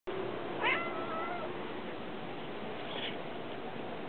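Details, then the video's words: Domestic cat meowing indoors while trying to get outside, one short meow with a rising then falling bent pitch near the start, over steady broadband hiss and low room noise. "The Cat's Meow"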